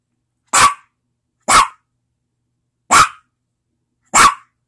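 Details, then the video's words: Pet dog barking four times, single sharp broadband barks spaced about a second apart, each short and loud with energy around the middle range, silence between barks and no other sounds. "My dog barking"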